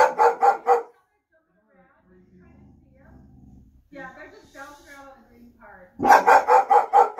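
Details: Boxer dog barking at a delivery van, thinking a figure on the van is a real big person; a quick run of deep barks, a woman calmly talking to her, then another burst of five loud barks.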